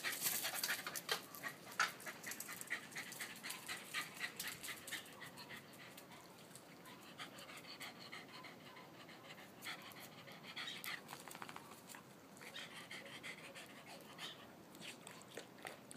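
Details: A five-year-old West Highland White Terrier, playful like a puppy, running around a pool: rapid broadband panting puffs, several per second, with scuffling and splashy background noise.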